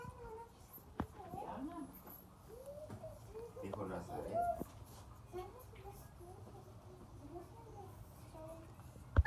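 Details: A four-week-old Siberian Husky puppy, one of the biggest in his litter, gives soft, high, arching whines and yelps over a low background rumble.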